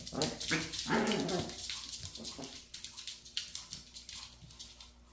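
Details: Maltese attacking its tail relentlessly: a burst of strained, tonal yapping at the start, then quieter rapid scuffles and taps as the play continues.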